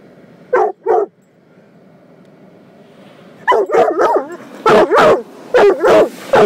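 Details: Protective coonhound mix confronting a car wash gives two quick barks, falls silent amid the rumbling wash equipment, then breaks into a rapid run of loud, strained barks.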